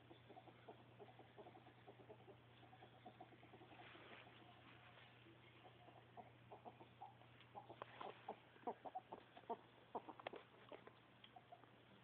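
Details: Pet ferret Callie Mae, happy and sounding as if tickled while another ferret, Percy, is urged to get her, indoors: a long stream of soft clucking pulses that quickens and grows louder toward the end, over a low hum.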